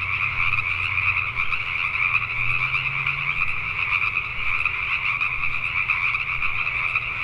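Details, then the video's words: Many Pacific tree frogs croaking after dark in Richmond, British Columbia, Canada, as a thick, steady chorus. A low rising rumble, like a distant passing vehicle, comes in during the first few seconds. "Pacific Tree Frogs at Night"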